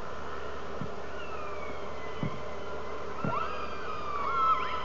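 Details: Underwater orca calls captured on a hydrophone beside a whale-watching boat out of Telegraph Cove, British Columbia: thin gliding tones and quick rising sweeps, a few soft low thumps, beneath a constant droning boat hum.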